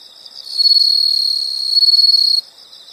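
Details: Insects calling in a nature soundscape: one loud, high-pitched continuous trill of rapid pulses lasting under two seconds, with a fainter steady insect chorus behind it.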